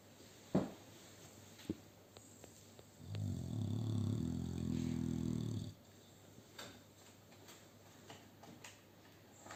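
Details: Male American Bully XL sharing an occupied sofa with two female Staffordshire Bull Terriers while sleeping; one deep, rumbling snore of about two and a half seconds swells mid-clip, with faint soft clicks and shuffling before and after in a quiet room.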